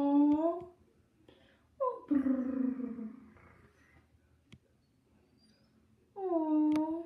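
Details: Chihuahua, prompted indoors to say goodbye, answers with short tonal, howl-like yowls at the start and again at the end, while a woman speaks in between.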